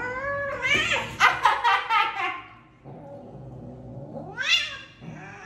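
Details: Odd-eyed house cat, grown and old, yowling angrily: a run of harsh, pulsing wails, then a long low moan rising into a shrill cry, another yowl beginning at the end, in a small room.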